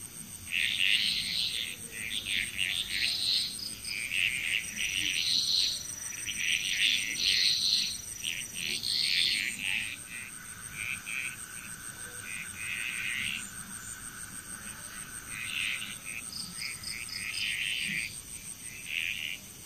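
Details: Frog chorus in Bali, Indonesia: overlapping bursts of rattling, pulsed croaks pile up in dense clusters, with a steady high insect-like whine running beneath throughout.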